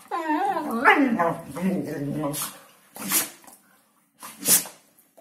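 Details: Hungarian Vizsla giving a New Year's "talk": a long, warbling, groaning whine that rises and falls for over two seconds, then three sharp breathy snorts spaced about a second apart.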